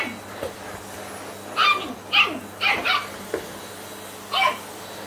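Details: Ten-week-old Shetland Sheepdog puppy meeting a vacuum cleaner and disliking it: a run of about five high, sharp puppy barks, some doubled, spaced unevenly across five seconds, over a low steady hum.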